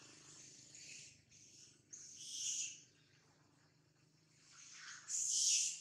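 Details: A monkey, very frightened and in a terrible mood with a camera around, gives harsh, shrill screeching bursts separated by quieter pauses.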